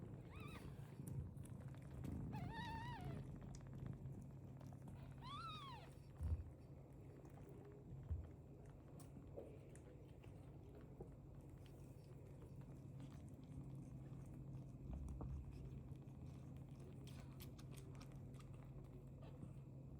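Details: Three meows from a British Longhair cat come within the first six seconds, each a short arched cry. A low purring rumble and scattered soft knocks and clicks follow for the rest.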